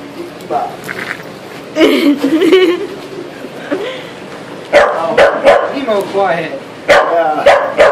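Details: Nine-month-old corgi confronting a lobster, giving loud, sharp, uneven barks and yips in bursts, mixed with people talking over it.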